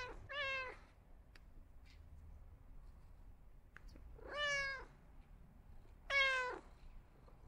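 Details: Domestic cat meowing three times, each call short and rising then falling in pitch, spaced irregularly over several seconds with quiet pauses between; faint clicks in the background.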